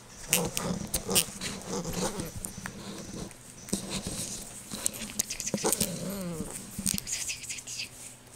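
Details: Waffles, an 11-week-old puppy that is 75% Pembroke Welsh Corgi and 25% Husky, plays tug with a ribbon. She gives short, rough growly yips in bursts, with one whiny upward-sliding note near the end. Sharp taps and rattles come through throughout.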